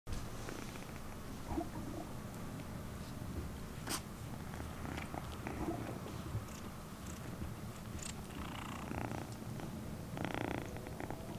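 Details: Domestic cats purring indoors after a rescued kitten, on its 45th day, moved from the kitten room to the cat room, where other cats took interest in its bed; a steady low rumbling purr runs throughout, with soft clicks and room noise.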